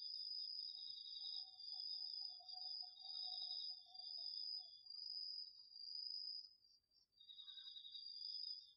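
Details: Autumn night insect chorus, crickets among them, in a home garden field, captured on a DR-40X: continuous shrill pulsed trills at two pitches, plus a lower softer trill joining for a few seconds midway.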